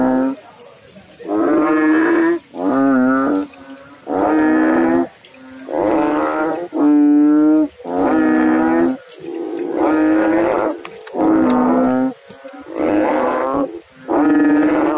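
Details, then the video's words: Frog calling in water: a steady series of deep, throaty, harmonic croaks, each close to a second long, repeating about every one and a half seconds with short silent gaps between them. "Frog Sounds in water"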